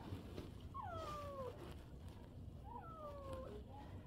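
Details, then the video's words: Two drawn-out falling meows about two seconds apart from stray cats visiting to eat, born to the same mother in 2023; a woman's voice calls them inside, with low background hum. "길고양이, 멸치,stray cats, black cats"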